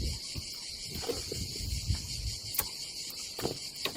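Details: Cicadas buzzing through a summer day by the Adriatic in Croatia, an unbroken high droning hiss over a low rumble, with occasional light clicks.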